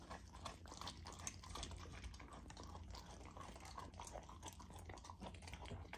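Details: Female Golden Retriever puppy eating a frozen raw dog food dinner, frozen to make her slow down and chew; dense, continuous crackling crunches and wet smacking chews overlap throughout without pause.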